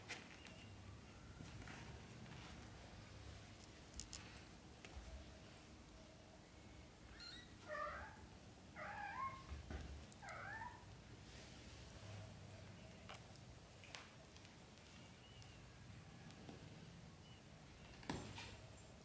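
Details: Young British shorthair kittens, black golden and blue golden, in their first 30 days of growing up; three short, thin meows in quick succession, each rising then falling, followed by a quiet stretch with soft clicks and knocks.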